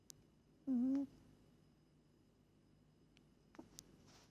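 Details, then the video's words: Moli, a pet cat, sleeping; a single nasal, tonal snore lasting about a third of a second, low and slightly wavering with bright overtones, then quiet room sounds with a few faint clicks. "Cat snoring"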